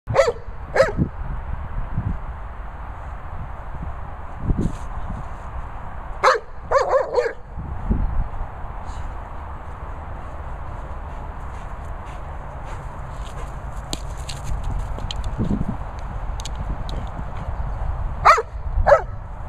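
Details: Young Labrador Retriever giving a few scattered sharp barks, a pair near the start, a short burst in the middle and two more at the end, over a steady low background hum.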